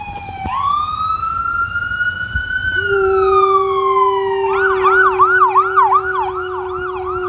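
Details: Luna, a female pet dog in Marinette, Wisconsin, USA, October 13, 2020, salutes a passing siren: a long, steady, low howl holds beneath a rising wail that turns into a rapid, warbling yelp.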